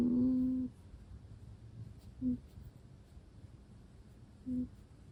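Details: Russian Blue cat talking in its sleep: one longer low hum followed by two brief soft murmurs, separated by quiet breathing in a small room.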